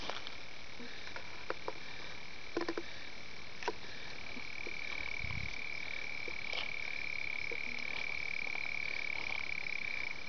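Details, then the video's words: Red-bellied toad (Melanophryniscus aff. tumifrons), an undescribed species from Gravataí, Rio Grande do Sul, Brazil, calling during amplexus and spawning. The species breeds explosively in temporary running water during heavy rains. A long, steady, high-pitched trill starts midway, over faint clicks and background hiss. "Melanophryniscus aff. tumifrons: vocalização"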